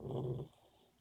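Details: Boxer puppy sleeping and dreaming lets out a brief, low, throaty growl-like rumble of about half a second, followed by soft background hush.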